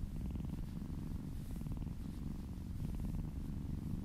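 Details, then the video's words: Purring kitten during a massage indoors, a continuous deep vibrating rumble with finely pulsed texture, steady throughout with slight swells in loudness. "Purring kittens"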